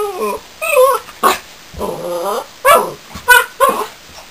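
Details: Young Border Collie puppy, newly arrived, giving loud high yips and wavering whines: short sharp yelps alternate with longer quavering cries, about six outbursts in a few seconds, close and dominant.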